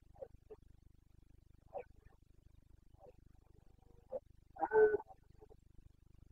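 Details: Carpathian red deer stag in the Bucovina mountains during the September 2022 rut, the boncănit: scattered short, gruff grunts, then one louder hoarse roar near the end. The background is otherwise quiet.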